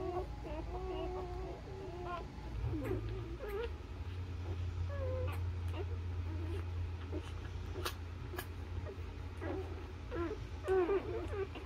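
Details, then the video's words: Newborn Labrador Retriever puppies nursing on their mother give scattered short squeaks and whimpers over a steady low hum. "Cutest Newborn Baby Puppies Nursing On Mommy's Dog Nipples | Newborn Labrador Puppies"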